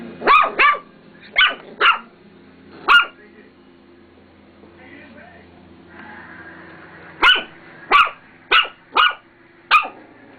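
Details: Pet dog barking at her own reflection in a mirror indoors: sharp short barks in two bursts, four then five, with a quiet pause between; a person speaks softly.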